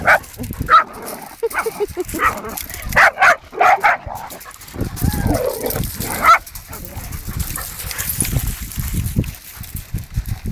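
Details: Playing Hungarian Vizslas let out sharp barks and yelps in the first seconds, then quieter scuffling, grumbles and a single bark, with a human voice faintly heard.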